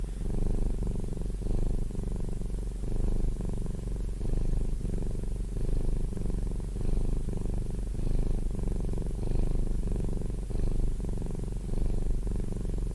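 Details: Domestic cat purring close up: a loud, low, steady rumble pulsing with each breath, roughly every second and a half, continuous throughout with no other sounds.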